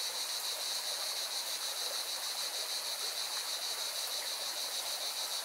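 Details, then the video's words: Mountain river in Spain's Valencia region with cicadas in song: a high, pulsing drone that never stops, layered over loud, steady rushing water. "Певчие цикады и шум горной реки"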